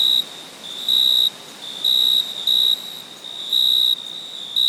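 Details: Nocturnal cricket chirping in loud, shrill bursts, five or six in total, some drawn out to half a second, others short, separated by brief pauses filled with soft background hiss.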